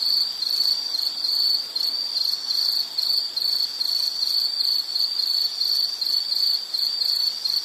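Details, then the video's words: Insect chorus heard as nature ambience for study and sleep: a steady high-pitched cricket-like trill, pulsing in short bursts roughly three times a second, with faint higher harmonics and a soft hiss beneath. "Nature Sound of nature sounds scenery L · insect"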